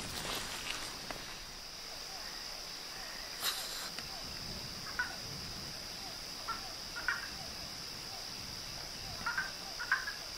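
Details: Chorus of frogs and toads (sapos, rãs e pererecas) at night: a dense run of low, rhythmic croaks, scattered short mid-pitched calls, and a steady high whine running throughout, with one brief sharp knock partway through.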